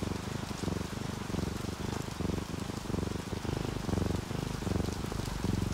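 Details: Sleeping orange tabby and calico house cats, relaxed, purring under steady rain; a low, pulsing rumble swells and fades with each breath, under a hiss of rainfall and dripping drops.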